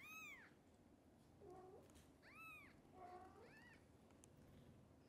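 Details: Kittens cared for by mother cat Xaxa, short of milk and given extra formula, call out hungrily: three high arched meows with softer, lower mews between them, against a quiet indoor background.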